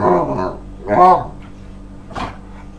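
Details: Male Staffordshire Bull Terrier, hyper after his owner gets home from work with a walk coming soon, lets out short yappy barks and a sharp yelp, followed by a brief quiet pause.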